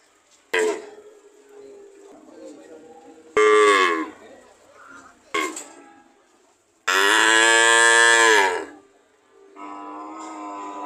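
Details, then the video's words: Cow mooing: several loud harmonic calls, short ones then a long drawn-out moo of about two seconds, with quieter lowing between and a softer call at the end. "Sound of cow"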